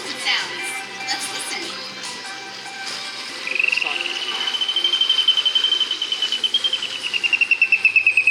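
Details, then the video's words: Killer whale call played back over speakers during a show at SeaWorld San Diego on 5 December 2015: after crowd noise, a long pulsed tone slowly rises, holds steady and then dips slightly, buzzing in rapid regular pulses for several seconds. "Killer whales communicate with each other using all sorts of sounds. Let's listen. That one happens to be our favorite."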